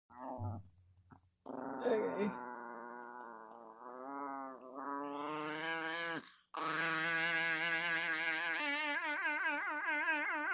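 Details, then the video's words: A Chihuahua makes what are described as alien noises: long, wavering, nasal tones that rise and fall in pitch, broken by brief pauses, ending in a steady warbling wail. "Chihuahua making alien noises"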